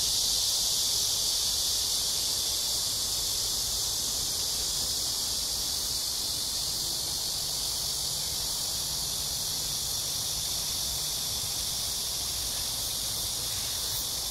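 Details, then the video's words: Cicadas in Amsa Ecological Park on the Han Riverside, Seoul, South Korea, on a hot summer evening between 6 and 7 PM, July 26, 2021, during a walk; a dense, unbroken high buzzing wash fills the whole stretch at steady loudness. "Cicada sounds/매미소리 가득한 암사생태공원 해질녁 산책"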